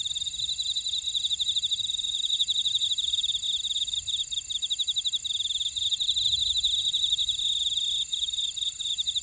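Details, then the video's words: Grassland insects in a buckwheat field at Ora-dong, Jeju City, on Jeju Island, South Korea: rapid pulsed chirping, about four pulses a second, over steady high ringing trills from several insects, with faint low rumble beneath. "제주 메밀밭의 풀벌레 소리"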